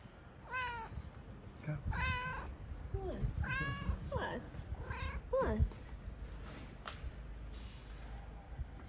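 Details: A stray tabby cat on a street in Morocco, fed daily by the person filming, gives a string of soft, high, arching meows while that person talks to it nearby.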